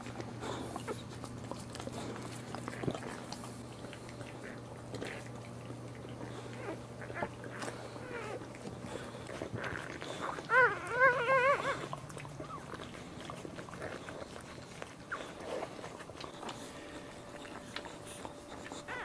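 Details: Boxer puppies being born: a brief cluster of four or five sharp, high, squeaky yelps in quick succession midway, surrounded by long stretches of wet licking, shuffling and a low constant hum.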